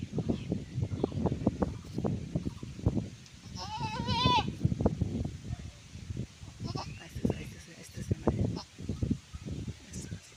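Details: Goat giving birth gives one short quavering bleat midway, a wavering cry lasting under a second, surrounded by steady rustling, handling noises and quiet human talk.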